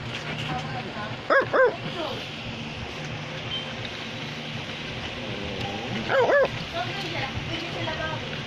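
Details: Two brief bursts of doubled, sharp barking from an Australian Labradoodle, spaced about five seconds apart, with background talking and room hum.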